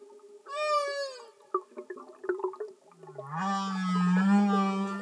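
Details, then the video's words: Underwater humpback whale singing: a short descending tonal cry, then scattered clicks and knocks, followed by a long low buzzy moan that rises slightly and holds steady. "Amazing singing Humpback Whales"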